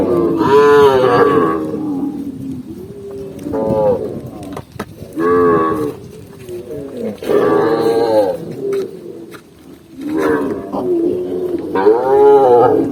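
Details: Tame cow walking calmly across a green forest in the countryside; several drawn-out, harmonic moos rise and fall, separated by short pauses, with the last one loud and rising near the end.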